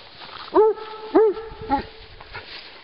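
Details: Giant Schnauzer on a walk with other dogs in Battle Great Wood, Sussex. Three short, tonal, arched yelps or whines, each rising then falling, come about 0.6 seconds apart over a soft rustling background.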